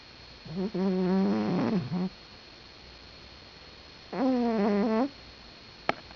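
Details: A sleeping pet cat snoring loudly indoors: two long droning, buzzy snores with a steady low tone and rich overtones, each lasting one to one and a half seconds, separated by a quiet pause of about two seconds.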